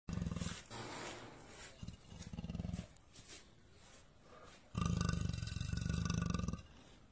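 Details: Caged leopard trapped in Gir Forest, Saurashtra, giving low, rasping pulsed snorts in three bursts: a short one at the start, another near two seconds, and a longer, louder stretch near the end, with quiet gaps between.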